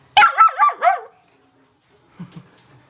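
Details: Young black Labrador Retriever puppy barking: a burst of four quick, high, yelping barks in about one second, then a pause and two soft low grunts.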